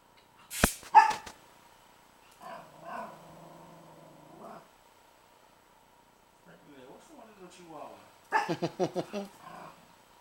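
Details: Princess, a pet dog, barks at Rocky, a young pitbull puppy, on 12-08-09: whining, harmonic yelps in the middle, then a quick burst of about six rapid barks at the end, with a voice heard indoors.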